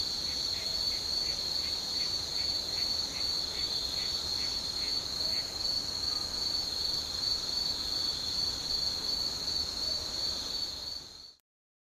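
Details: Insects calling on an evening on the Noto Peninsula at Shika, Ishikawa, Japan: a steady, shrill, unbroken high trill throughout, plus a regular series of short, fainter, lower chirps in the first half, ending abruptly near the end.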